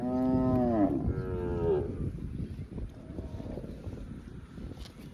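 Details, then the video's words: A cow grazing in a field gives a low, drawn-out moo that slides downward, then a second shorter moo. "Cow video - Cow mooing sounds & grazing in a field - Funny Cow sounds"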